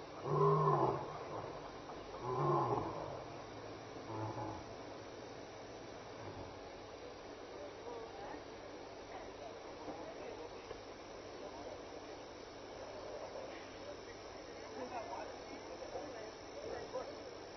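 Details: Evening contact calling from a lion at Elephant Plains Game Lodge, South Africa, 26 May 2011, 6-7 PM. A few loud, deep grunts open the stretch, then the calling fades into quiet background hiss.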